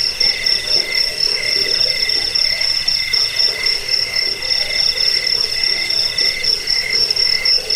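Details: Crickets used as a rat repellent, a sleep aid and a model for training songbirds: a steady high shrill trill over lower pulsed chirps, several callers overlapping in a dense continuous chorus.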